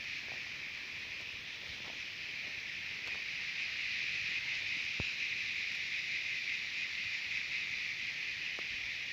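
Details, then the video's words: Chorus of singing cicadas from Terek-Sai in Kyrgyzstan's Jalal-Abad area: a loud sizzling hiss that swells slightly midway and runs on without break, a few faint clicks scattered through. "Певчие Цикады"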